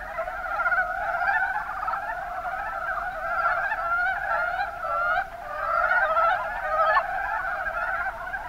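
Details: Many mountain brown frogs in the Kuma Basin, Kumamoto Prefecture, Japan, give layered stuttering croaks that blend into a constant chorus, briefly dipping midway before rising again.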